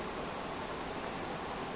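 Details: Cricket song outdoors: a continuous, steady, high-pitched shrill trill held without a break, with a man speaking Hindi around it.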